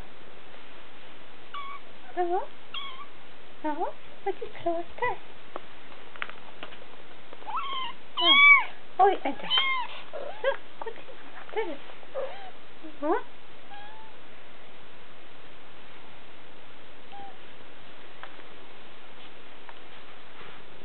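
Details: Three-week-old Siberian kittens in July 2008, scattered faint mews through the first half, a louder cluster in the middle, then near quiet with an occasional soft mew; brief human murmurs.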